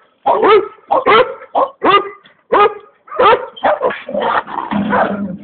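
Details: Boci, a komondor, gives five or six loud separate barks, then the calls run together into rougher, drawn-out barking that ends in a lower, growly tail.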